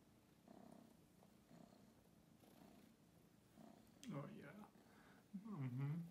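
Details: Domestic cat purring, one of two rescued kittens, Bella and Ziggy, indoors in their new Berlin home after arriving from St. Petersburg on February 5, 2022; soft low purr cycles swell and fade about once a second, then people talk close by.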